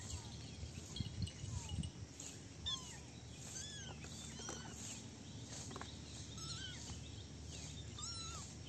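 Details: Little kittens playing together in a basket, giving scattered short, thin mews that rise and fall, spaced a second or so apart, with soft rustling and low background rumble.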